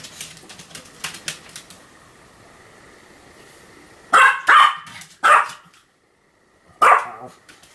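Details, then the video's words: Pomeranian named Sam barking in a run of continuous barks, recorded in 2015: faint clicks and rustling first, then four sharp, bright barks in quick succession near the end, in a quiet indoor space. "犬の鳴き声 ポメラニアン サムの連続吠え"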